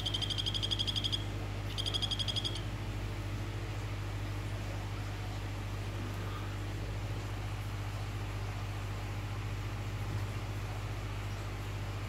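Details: Two quick bursts of high, evenly pulsed trilling from an orange Phyllobates vittatus male calling a female open the recording, separated by a brief break, followed by a long stretch of only low steady hum.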